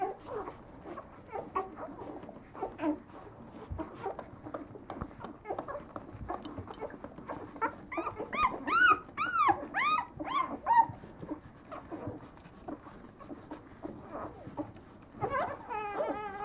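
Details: Leonberger puppies at nine days old whimper and mewl steadily, then a run of clear arched, rising-and-falling whines repeats about once a second midway through, ending with a higher wavering cry.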